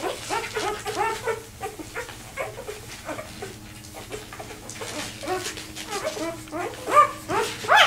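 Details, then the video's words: Newborn Vizsla pup, two days old, separated from the litter and complaining while seeking its mother; high wavering squeals in quick uneven runs, fading to a quieter stretch, then rising again. "2 day old viszla puppy got left behind and trying to find his way to his Mom"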